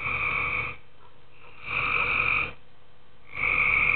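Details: Tree frogs calling at night in a pool: three long, rasping, harmonic croaks, each under a second, repeating roughly every 1.7 seconds, with quiet gaps between.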